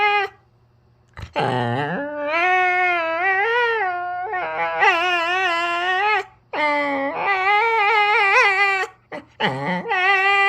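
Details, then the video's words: Jindo dog on a toy mat guarding a sock, grumbling when its owner pretends to take it away: long wavering, moaning whines rising and falling in pitch, several drawn-out phrases with short breaks between, indoors. "진돗개 양말 집착 2탄/투정 부리는 소리..?"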